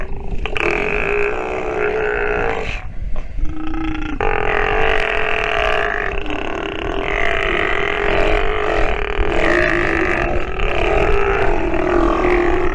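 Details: Nursing sea lion pup giving harsh, drawn-out bleating calls with stacked harmonics, broken by a short pause near the third second, then continuing in long wavering bouts over low rumble.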